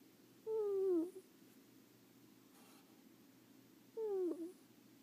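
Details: Sleeping pet ferret Leo snores in a quiet room, two squeaky, descending whistled breaths about three and a half seconds apart, each ending in a short wavering tail.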